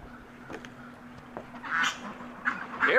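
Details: Piglets at breakfast feeding: a quiet start with faint clicks, then three louder nasal grunts bunched in the last second and a half, over a low steady hum.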